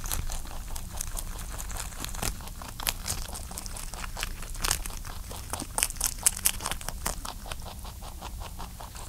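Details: A pet rabbit licks and chews while eating, with soft, rapid clicks and crunchy, wet ticking sounds close up.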